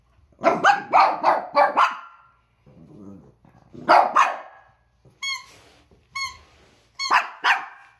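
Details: Two Pekingese dogs, Peko aged one and Poko under one, bark at a squeaking toy in October 2018. Bursts of four quick sharp barks, then single barks. Between them come high, tonal squeaks from the toy.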